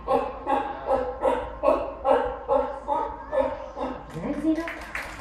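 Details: A sea lion at Nausicaa aquarium, named Xino, gives a rapid series of hoarse, harmonic barks, about two or three each second. Each sea lion's bark is individual, which lets mothers recognise their pups by ear.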